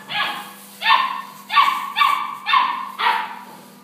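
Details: German Shepherd dogs barking: six loud, harsh barks in under four seconds, coming in a quick series about half a second apart, each bark a sharp burst with a short tail, over a faint steady hum.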